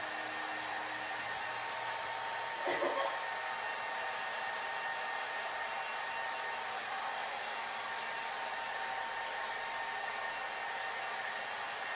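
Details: A hair dryer roars steadily indoors, with a brief louder burst near the third second and no animal voice.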